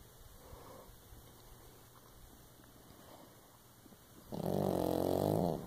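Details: Sleeping female pug–Shih Tzu mix lying beside her owner gives one loud, buzzy, vibrating snore near the end after a stretch of soft breathing indoors.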